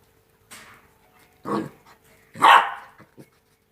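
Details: Two-month-old Rottweiler puppies playing: a low gruff growl-bark followed by a louder, higher yappy bark, then small soft grunts, against a quiet steady hum.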